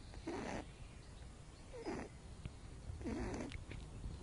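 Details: Asleep in the sun, pet rabbit Loopy, born with cerebellum damage, gives three raspy snores about a second and a half apart, each carrying a low wavering buzz within the breathy hiss.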